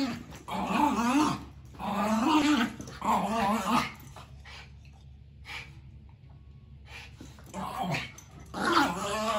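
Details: Play fight between brothers Snowball, a Maltese, and Jackson, a Shoodle: rolling, wavering growls and whiny grumbles in long bouts, then a quieter stretch before the growling picks up again.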